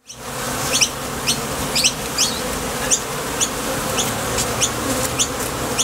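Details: Bees at the entrance of a Top Bar Hive, flying out to the field for nectar and landing again: a steady dense hum with sharp high ticks repeating about twice a second.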